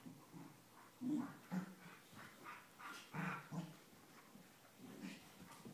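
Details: Two corgis playing and mouthing at each other's necks give soft, irregular growls and short whimpering whines in quick, uneven bursts.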